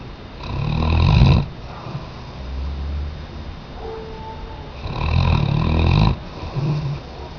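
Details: Weimaraner. A Weimaraner snores deeply while asleep, each long, throaty rasp rising to a loud peak and then fading. Softer wheezy breaths and a faint whine fill the gaps between the snores.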